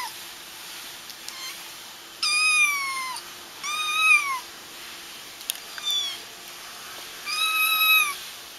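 High, thin kitten meows, each about a second long, arching slightly and then sliding down in pitch.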